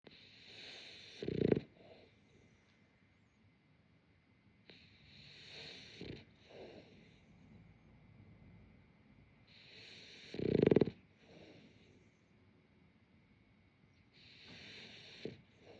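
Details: French Bulldog Yamato, sound asleep and perhaps dreaming. Slow, hissy breaths come every four to five seconds, with two louder, deep snorting snores standing out against a quiet room.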